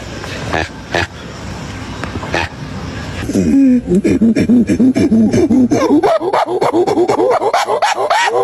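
A primate gives a fast run of hoarse, arched hoots, about three a second, climbing higher and more urgent toward the end after a few scattered knocks.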